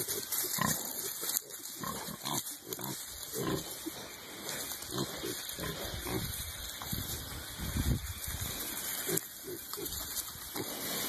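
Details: Hereford piglets in early spring, rooting around in the dirt and nibbling at a person's trousers; soft snuffling and low grunts over scuffing ground noise, with a man talking to them.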